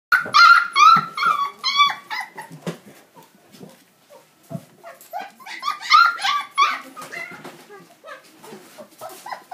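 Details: A beagle giving a rapid run of high, yelping cries and whines with sharp harmonic bursts, roughly two to three per second, in two bouts separated by a short quieter pause.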